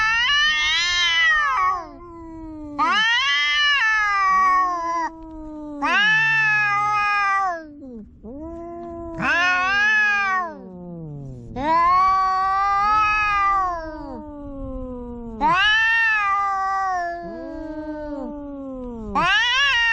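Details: Domestic cats in a home quarrel, a tense confrontation: a long run of seven loud, harmonic caterwauls every two to three seconds, arching and sliding down, answered by lower, descending moans in between.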